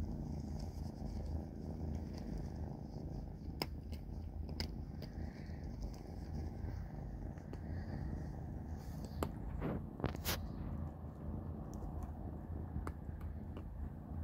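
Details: Kittens Panda, Grayie and Goldie eating a big dinner of cat food: a steady low rumbling purr runs throughout, broken by sharp clicks and crunching bites around the ninth and tenth seconds.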